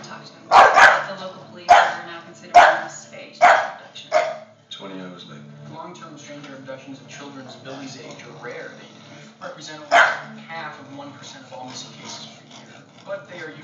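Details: Two bully dogs barking against each other over a squeak toy: a run of five loud, gruff barks about a second apart, a pause with faint squeaks and background sounds, then one more bark.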